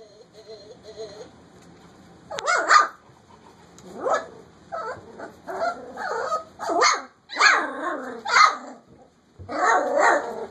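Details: Lena's puppies, almost four weeks old, playing in a kitchen indoors: a burst of high, yelping barks and yips after a quiet start, coming in uneven clusters about a second apart, some squeaky and rising.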